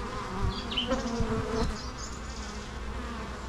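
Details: A dense bee hum drones on steadily, swelling slightly midway, with brief high bird twitters near the start.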